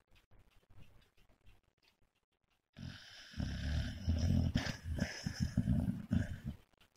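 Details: Sleeping dog heard first as soft, faint breathing, then after about three seconds as loud, rough, throaty snoring with a rattling texture that continues to the end.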